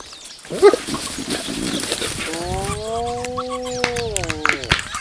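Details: Spotted hyenas at a buffalo kill, storming it after lions had eaten their fill and crunching the bones; a faint short yelp, then a long steady moaning call with stacked tones that bends downward at the end, with sharp cracks and clicks.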